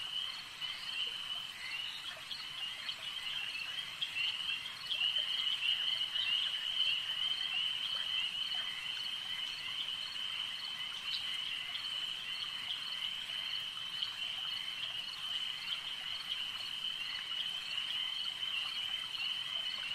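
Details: A lake at night-like stillness filled by a steady wall of high-pitched frog trilling, many callers overlapping without pause, growing slightly louder after the first few seconds.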